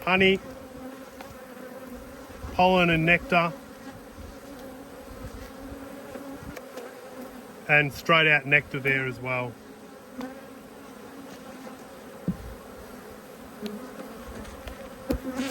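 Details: Honey bees, agitated while two hives are inspected on 5 March 2022, keep up a continuous low droning hum throughout. A person speaks briefly over it twice, and scattered knocks and handling noises are heard.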